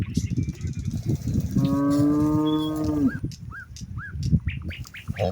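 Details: A cow among hundreds of herded cattle grazing in wide rice fields in the late afternoon, calling its companions to head home: one long, level moo of about one and a half seconds amid low rumbling noise, with short rising bird chirps following.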